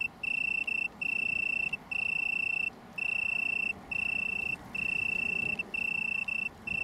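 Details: Italian tree cricket, Oecanthus pellucens, small colony on downs near Brighton, England, 21 September 2019; a clear ringing trill held in bursts of roughly one second, separated by short silent gaps, with faint overtones above.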